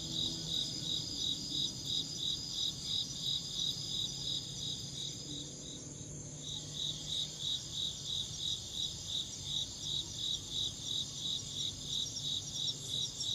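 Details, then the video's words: Insect chirping, a steady high pulsed trill repeated about three times per second, with a fainter continuous high buzz from other insects behind it and a low background rumble. "Insect chirping sounds"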